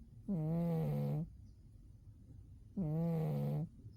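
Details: Umi, a domestic cat, sleeping deeply in winter and snoring: two low, drawn-out droning snores, each lasting about a second, roughly two and a half seconds apart, with quiet breathing between them.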